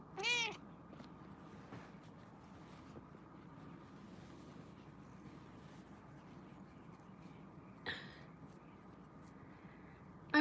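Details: Kitten in a kitten cuddle room giving three short, high meows, one at the start, one near the eighth second and one at the very end, with quiet room hum in between.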